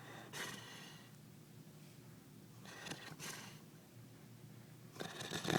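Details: Rocky, a black Labrador retriever passed out upside down on a couch, snoring and flapping his cheeks; a few breathy snorting bursts spaced about a second or more apart over a low indoor hum.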